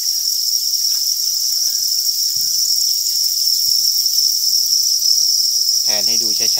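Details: Farmed crickets raised as an economic animal, their massed chorus forming a steady, unbroken high-pitched trill that runs throughout, with a short burst of human voice near the end.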